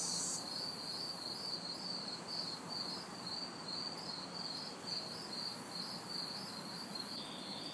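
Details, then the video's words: Backyard chorus of crickets and cicadas on a hot, humid city summer night: rapid regular chirps, about two per second, over a high hiss, with intermittent higher bursts and faint distant traffic. "Summer Night Sounds ~ Crickets, Cicadas"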